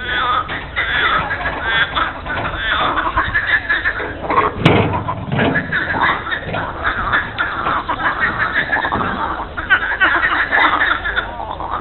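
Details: Frog chorus at Monet's lily pond in Giverny, France, mid-April Monday morning: a constant rattling and croaking from many frogs, broken once by a sharp knock, with faint human voices underneath.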